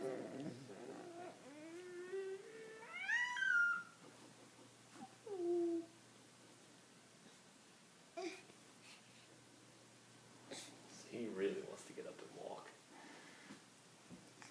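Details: Cat named Justin making noise indoors: a long, drawn-out meow climbing steeply in pitch, followed by a shorter meow that drops away, then quieter scuffles and a brief human voice.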